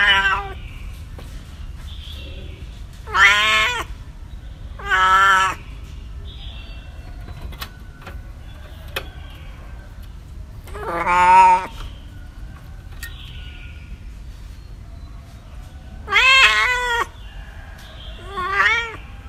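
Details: Cats and kittens meowing: five separate harmonic meows over about nineteen seconds, each roughly half a second, bright and slightly wavering, spaced irregularly with quiet low hum between them.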